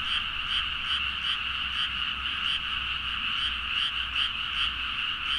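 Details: Many frogs calling energetically late at night in rice fields near Nagaoka, Niigata, Japan; a thick overlapping croaking chorus, steady and pulsing about two to three times per second, recorded with a Zoom H4n, faint low hum underneath.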